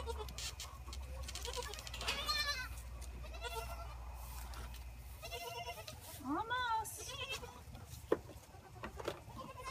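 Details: Orphaned Boer goat kids after bottle-feeding, recorded by an iPhone on the gate; a run of short, shaky bleats from several kids, one rising sharply, over low hum and light handling noise.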